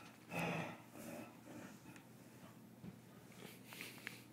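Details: Two dogs, brothers, play-fighting indoors: a brief voiced growl-like snort early on, then softer snuffles and breathy huffs, with small clicks of movement in a quiet small room.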